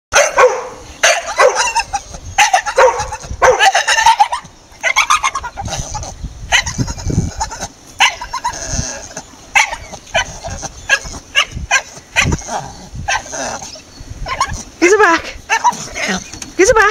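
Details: A male Staffordshire Bull Terrier chatters and barks in quick, uneven bursts of yips, whines and grumbles, strange noises he sometimes makes.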